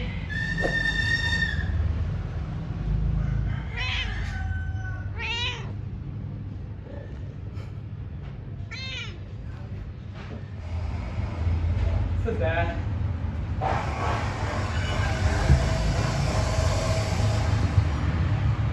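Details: Domestic cat meowing during its daily routine: several short harmonic meows, some rising and falling, spaced a few seconds apart, over a steady low hum and background noise.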